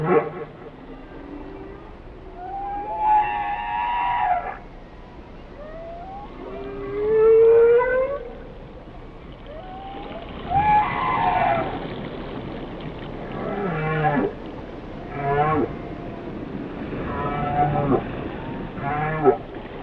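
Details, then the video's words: Whale song mixing swooping tonal whistles, one sharp upsweep near 7.5 seconds, and later harsh harmonic groans with low pulses, repeating in phrases over a continuous hiss. "Song of the Whales"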